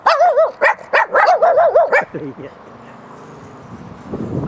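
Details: Puppies give a quick run of high whining yelps, each arched up and down, about four or five a second for two seconds, then fall quiet to a low murmur of background noise.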